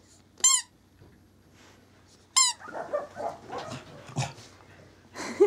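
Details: Male Corgi puppy, born 19 January 2012 and recorded on 26 February, giving two sharp, high squeaky yelps rich in overtones about two seconds apart, then scuffling and rustling noises and one more short squeal at the end.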